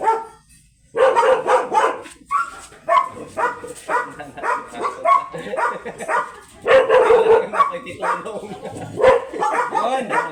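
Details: Belgian Malinois dogs at a stud mating, both dam and sire first-timers; loud barks come in repeated bursts of several seconds, broken by short pauses, with people talking and laughing nearby.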